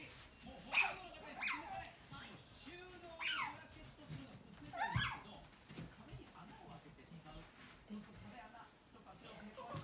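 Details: Indoor pet otter trailing the owner's mother from place to place, giving four loud, piercing chirps that sweep steeply downward, roughly one every second or two, with soft room noise between them.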